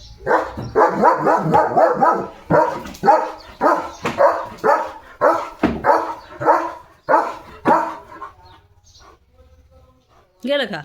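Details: German Shepherd on a farm during an evening sunset walk, playing with a balloon. It gives a fast run of about a dozen short, harmonic barks and yelps, roughly two each second, then falls quiet before one final yelp.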